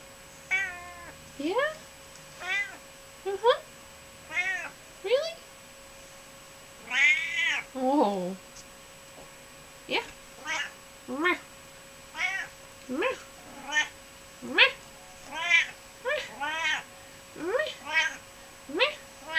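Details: Pet cat Hermy, indoors with her sister Myrtle nearby, meows repeatedly, about one call a second, short rising and falling harmonic cries with a few longer wavering wails, while a person coaxes softly.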